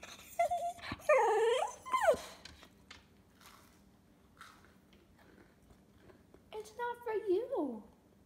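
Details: Pet cocker spaniel 'talking' to its owner indoors: drawn-out, whiny, howl-like yowls that bend up and down in pitch, a burst early on and another near the end, with a person speaking quietly between them.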